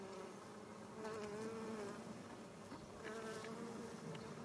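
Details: Worker western honey bees buzzing around purple English lavender flowers for nectar and pollen, sunny mid-July afternoon in a Japanese roadside garden; a low humming drone swells twice with wavering pitch, close and continuous.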